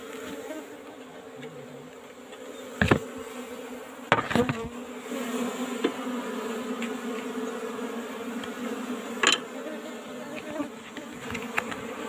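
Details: Asian honey bees (Apis cerana) in an old-style wooden box hive during a honey harvest; a steady, low droning hum with layered tones runs throughout, broken by several sharp knocks and clatters from handling the box.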